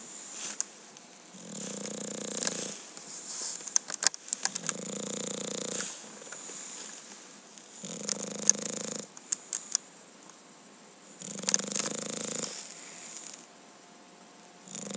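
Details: An English Bulldog snores while sleeping indoors. Low, rumbling snores of about one to one and a half seconds come roughly every three seconds, four in all. A steady high hiss and scattered clicks sound between them.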